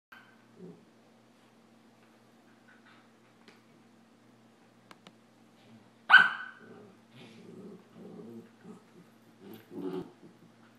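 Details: Two puppies, a Samoyed named Adam and a Rat Terrier, play fighting: quiet stretch with faint scuffles, then one sharp, loud bark midway, followed by low rumbling growls and short grunting bursts near the end, with a steady background hum.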